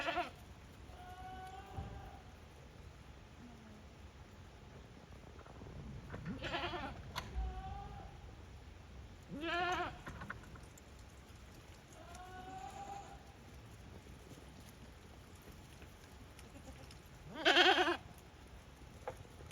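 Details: Farm goats in Japan returning to their pens unprompted, 5 December 2023; several scattered bleats over twenty seconds, some faint and wavering, one loud harsh call near the end, with a steady high hiss throughout.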